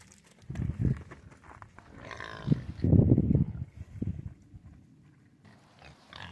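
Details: Domestic pigs on a farm giving deep, low grunts in irregular bursts, with the loudest run around the middle. Faint higher noises come in between.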